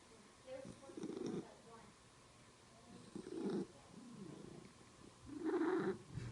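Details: Domestic cat making a strange sound while purring: soft, low murmuring bursts recurring every one to two seconds, the last one louder and slightly brighter, over a quiet hiss.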